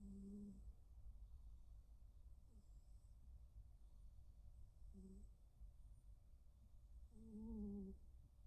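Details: Snoring from Kuu and Blue, two male rescued tuxedo cats indoors: brief low hums at irregular gaps, the last one longer and slightly wavering, over a steady low background rumble.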